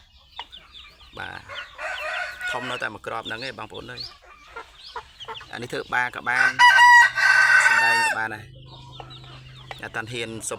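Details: An eight-month-old Asil-Kelso cross fighting cock of 3.2 kg crows, a loud drawn-out tonal call near the middle, amid frequent male speech and clicks.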